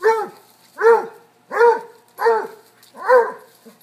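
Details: Playful chase among a cocker-hound, a Basset and a corgi: five loud, evenly spaced baying barks, each a short rising-falling bay roughly two-thirds of a second apart.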